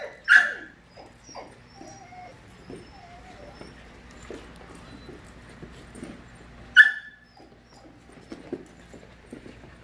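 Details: Playful 5-month-old puppies in a group; a sharp yelp at the start, scattered soft whines and scuffling, then another loud yip about two-thirds through.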